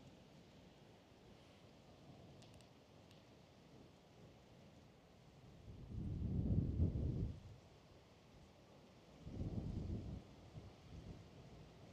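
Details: Quiet outdoor hiss with two swells of low, rumbling noise like wind or passing traffic, and no animal voice.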